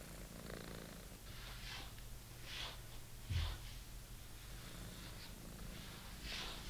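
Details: British Shorthair kitten playing with and destroying his old favourite toy indoors; a low, steady rumbling purr runs underneath scratchy, rustling bursts of toy play that recur about once a second, with one sharp knock midway.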